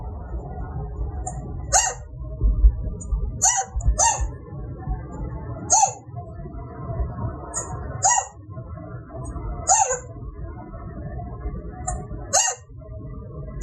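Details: A male chinchilla hiccups after mating with a female, an involuntary happy sound resembling an alarm bark that can last minutes: short, sharp squeaky yips repeated every one to two seconds.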